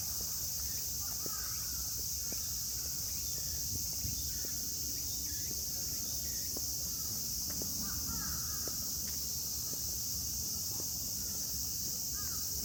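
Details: Midsummer in Yoyogi Park, Shibuya, Tokyo, under strong sun: large brown cicadas, tsukutsukuboshi and minminzemi sing together in a dense, steady, high buzz, with brief bird chirps and soft footsteps on the park paths.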